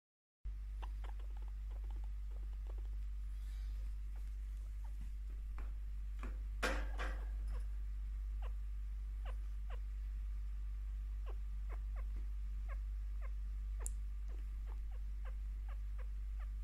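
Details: Picchu, a five-year-old pet female chinchilla bonded since ten weeks old, chirps contentedly while being given scratches and attention; short quiet downward-sweeping chirps repeat irregularly, about three per second, with a few louder rustling bursts and a steady low hum indoors.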